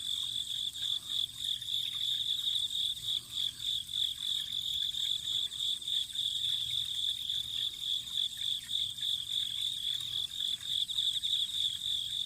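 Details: Autumn insects calling beside a spring in Japan: a dense, steady high-pitched trilling chorus with rapid pulsed chirps throughout, over a soft background wash of running water.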